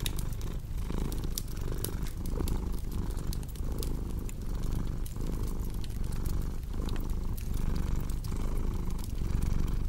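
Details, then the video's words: Domestic cat purring steadily in a low, rumbling drone that swells with each breath, about forty cycles a minute, while a cozy fireplace crackles with sharp pops and snaps throughout. "Purring Cat"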